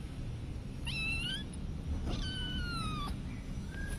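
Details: Cats and kittens at home giving two clear high meows, each a bright harmonic cry sliding down in pitch, the first short, the second long and drawn out, over a steady low background hum.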